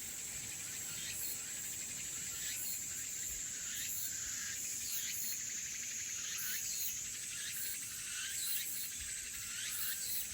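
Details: A dense, steady chorus of elusive crickets and cicadas in Haenam, with high shrill trilling and faint rhythmic pulses.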